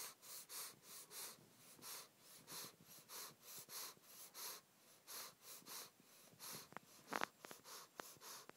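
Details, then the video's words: Boston terrier breathing loudly through its nostrils indoors, a steady series of airy, hissing huffs about twice a second, ending with a few sharper snorts. "huffing boston terrier"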